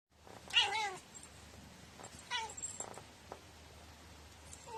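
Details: Quirky, unusual meowing from a clingy pet cat indoors: a loud wavering meow with stacked harmonics near the start, then a shorter, softer meow about two seconds later, with faint background hiss.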